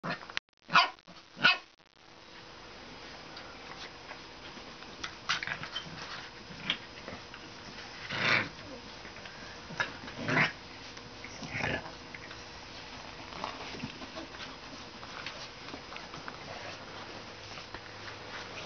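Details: Two Pit Bull and Shar Pei mix puppies, Mary Jane and Penelope, play fighting indoors; three sharp yapping barks open, followed by scattered soft growls, scuffles and short yips over a steady background hiss.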